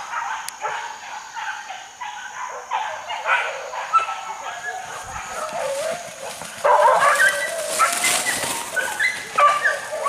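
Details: Hunting dogs chasing wild boar in a forest, baying in overlapping yelping calls that build in intensity after about seven seconds, with human voices mixed in.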